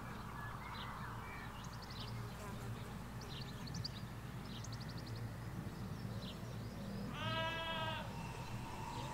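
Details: Hampshire countryside sheep field with ewes and lambs; near the end one loud, strongly harmonic bleat rings out, preceded by bird twitters and insect-like buzzing, all over a low rumble of distant road traffic.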